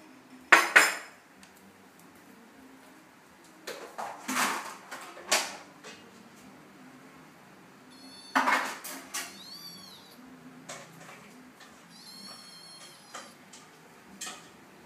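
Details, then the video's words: Cats and kittens meowing indoors: a few high, thin, arching meows in the middle and near the end, set among loud bursts of clattering dishes, pots and cutlery. "funny cats and kittens meowing"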